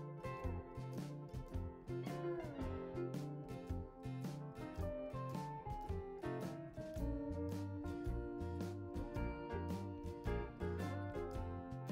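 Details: Plucked guitar music with a steady beat plays throughout, and no animal sound is heard.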